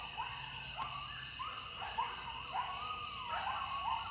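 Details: Coyotes in Wilkes County, North Carolina, heard very close, within throwing distance. A run of wavering, high yips and short howls sweeps up and down in quick succession over a steady, shrill insect chorus.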